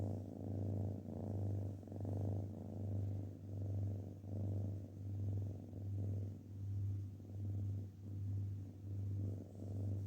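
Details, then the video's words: Cat purr, close and deep. A throbbing low hum swells and fades in an even rhythm, a little over once per second. Faint background hiss. "kedi mırıldanması"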